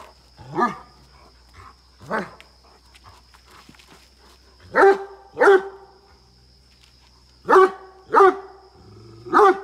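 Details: Great Dane at a farm in Chikkamagaluru, Karnataka, India, barking aggressively: seven loud, harsh barks, first two spaced apart, then three close pairs, with a faint steady high tone in the background.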